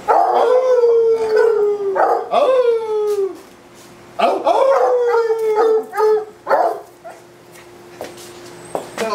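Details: Redbone Coonhound named Fred, a pet dog, barking while people encourage him: long, loud, drawn-out bays sliding downward in pitch, several in a row with short gaps, voices faintly behind.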